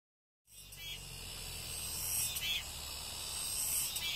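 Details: Cicadas filling the air with a dense, steady high-pitched buzzing hiss that swells slightly with a few brighter pulses, rising from silence after the first half second.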